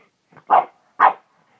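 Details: Dog Hana, said to be acting crazy, lets out a soft yip followed by two full barks half a second apart.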